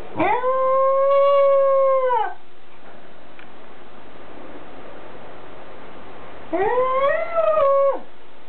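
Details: Welsh Corgi, recorded 5 October 2006, gives two drawn-out harmonic howls. The first is steady and level for about two seconds. After a quiet pause of roughly four seconds, the second wavers and rises before ending abruptly.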